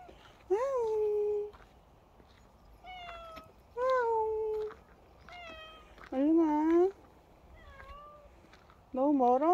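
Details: Bobae, a dog-like pet cat, gives loud meows about every two to three seconds. Each is rich and rising, then falling into a held tone about a second long, with softer, shorter meows between them.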